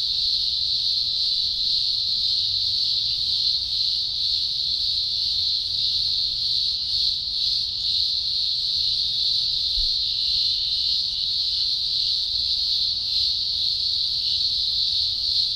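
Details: Mass chorus of green grocer cicadas at a large spring emergence, Blue Mountains, Australia, October 2020; shrill droning buzz sustained throughout with gentle rhythmic throbbing about twice a second.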